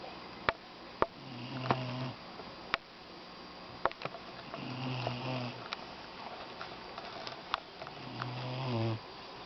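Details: Little Doberman puppy snoring during a nap: low, buzzing snore breaths roughly every three seconds, each a short rumbling drone, with sniffs and faint clicks in a quiet small room.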